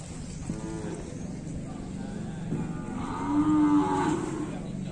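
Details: During a bath, Bali cattle give a brief low grunt early on, then a longer sustained moo, a rich, level bellow lasting over a second, with quiet background noise throughout.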